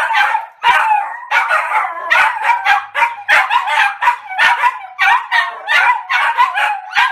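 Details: Three Maltese dogs bark all out together in high, sharp, overlapping yaps, almost without pause.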